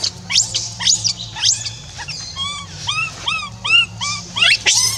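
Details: Left on her own, the monkey Rainbow keeps crying for Libby to return: steep rising squeals at first, then a series of short, bent, repeated cries, closing with another sharp upward squeal, a low hum beneath.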